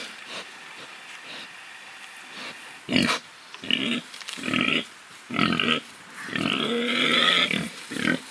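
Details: Spared pigs living freely, rooting about: scattered soft snuffles, then louder grunts roughly every second building to a longer drawn-out squealing oink near the end.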